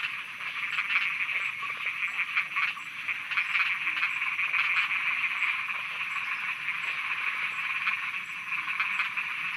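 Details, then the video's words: Thai frogs croaking after dark, a loud continuous chorus of fast rattling pulses that blend into a steady trill, with occasional louder bursts standing out from the crowd. "Thailand Night Frogs Soundscape"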